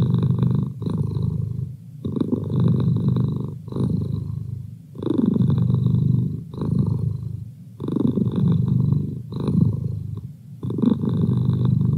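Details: Close, continuous purring from Merlin, a domestic cat kept as a feline study buddy; a deep throbbing drone rising and falling with each breath, around nine rhythmic swells.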